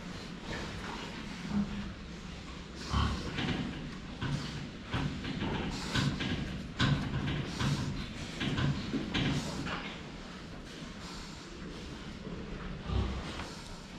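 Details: Pigs drinking water, filmed from the front: short, low grunts recur every second or so, mixed with thumps, knocks and sloshing noises around the trough.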